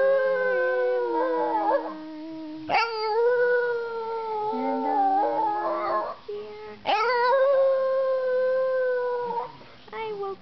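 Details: An 8-month-old Boston Terrier "sings" along to "You Are My Sunshine", howling in long, wavering, sliding notes that swoop up sharply at the start of each phrase.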